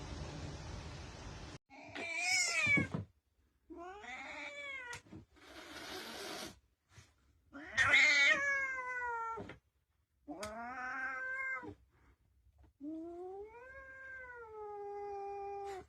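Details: Cats meowing, a series of separate drawn-out meows varying in pitch, some rising and falling smoothly, others harsh and strained like a caterwaul, with short silences between calls.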